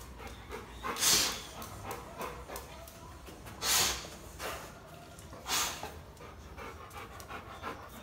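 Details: Dog named Black, agitated by the presence of another dog, panting in heavy bursts roughly every two and a half seconds, with a low noisy background throughout.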